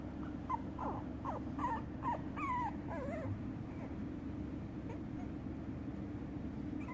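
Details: Shiba Inu puppies whimper in a rapid string of high, bending squeaks and rising-falling whines packed into the first three seconds, then quiet except a low steady hum.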